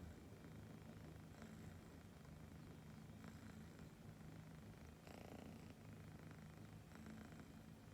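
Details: Siberian kitten purring happily while listening to small birds chirping, a faint, soft, low purr throbbing with its breathing, with brief high chirps around the middle and light background hiss.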